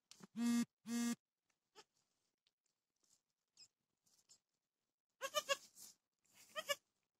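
A dwarf goat bleats twice in short, nasal cries, then gives two longer, quavering bleats.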